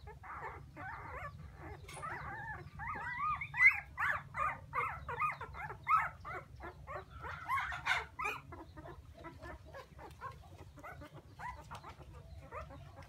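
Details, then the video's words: Puppies crying for their mother: a dense run of high, arched whimpers rising and falling, overlapping as several pups call at once, loudest in the middle seconds and fading toward the end, over a low steady hum. "Why Puppies So Crying full Where is mommy?"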